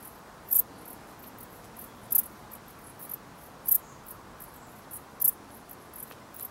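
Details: Dark bush cricket singing: short, sharp high-pitched chirps spaced about one and a half seconds apart, with fainter chirps between them, over a quiet background hiss.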